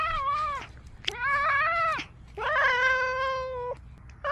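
A domestic cat utters a series of long, yowling meows, each held for about a second, rising and wavering in pitch. The tone is strongly harmonic and nasal, and the calls come in close succession with short pauses between.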